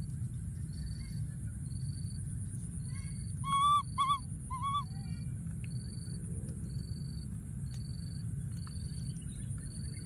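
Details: A wild young monkey alone in a thorny tree calls out for his friend, giving a quick run of three bright, bending cries midway, while insects pulse regularly and a low rumble fills the background.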